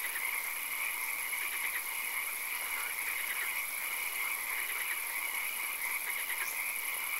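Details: Nighttime swamp frog chorus with occasional rain: many overlapping trilled, pulsing croaks form steady bright bands, with denser bursts every second or so, set against continuous hiss and a thin high whine.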